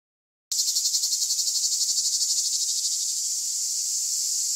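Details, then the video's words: Cicadas calling: after a moment of silence a loud, harsh, high-pitched buzz starts abruptly and continues without a break, pulsing rapidly at first and then smoothing into a steady drone. "Pol Dance des cigales"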